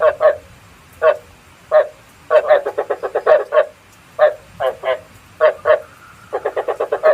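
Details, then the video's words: Frog croaks recorded as bait sound for night traps: short groups of two to six hoarse pulsed notes separated by brief pauses, repeated irregularly in a quiet background. "Tiếng ếch mồi chuẩn 99,99% cho ae bẫy đêm tham khảo"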